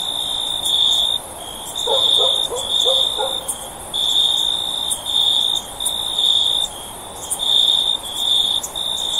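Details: Repeated shrill cricket chirping, high-pitched bursts about a second long with quick gaps, steady over the whole stretch; a short series of faint lower notes from another animal sounds early on.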